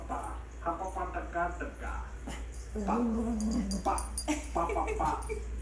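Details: Angry poodle puppy on a plane reacting to another dog: choppy yips and whiny barks come in rapid, uneven bursts, with a drawn-out whine midway, over constant cabin engine hum and voices.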